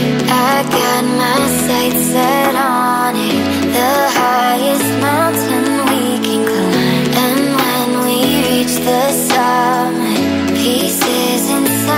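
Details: Upbeat electronic pop music with a steady bass line and melodic synth runs throughout, with no animal voice.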